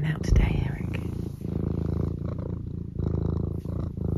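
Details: Domestic cat named Eric, kept at home, giving a close low purr on a Sunday morning: rapid rough vibration in rhythmic bursts, rising and falling with each breath, a voice murmuring in the background.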